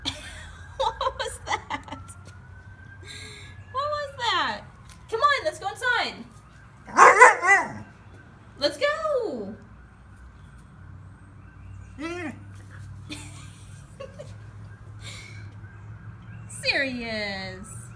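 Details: Siberian Husky pup Sirius grumbling back instead of coming indoors, answering with a series of bending, arching yowls and short woo sounds spread across the stretch, a man's coaxing voice and a faint steady tone in the background.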